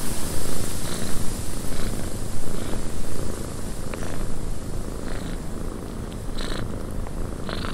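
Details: Purring cat in a cabin on a windy day: a deep throbbing purr, loud at first and then softer, with rushing wind and scattered short airy gusts throughout.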